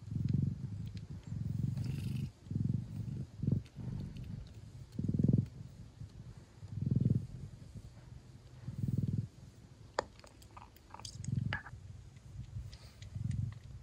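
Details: Mother Thai cat, a classic Siamese breed, purring hard while her hungry kittens suckle; a deep, pulsing rumble comes in uneven bursts roughly every two seconds, with light clicks and scratchy rustling in between.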